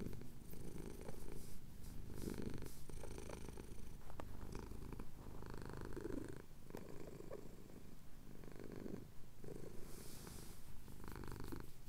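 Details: Sunrise purring from a male cat getting a chin scratch in the Cotswold hills, Tascam DR-07X recording; soft, low vibrating purr in steady breath-linked swells, slightly quieter and breathier, with a brief higher hiss near the end.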